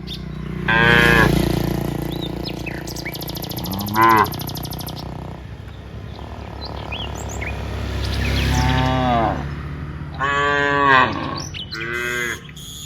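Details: Dozens of cows walking from the rice fields to the village, several low, drawn-out harmonic moos at about one, four, eight and ten seconds, some rising at the end, with bird chirps and a steady low rumble between.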